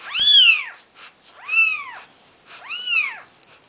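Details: Nikita's four-day-old Maine Coon kittens, the 'Seven Dwarfs' litter, give three loud, bright mews, each swooping up then down over about half a second, with short gaps and no other noise.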